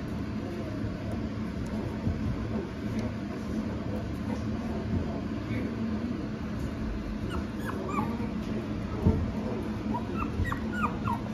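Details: Female Maltipoo puppy, palm-sized: short, high whimpers and yips, mostly in the second half, coming in small clusters over a steady low background hum.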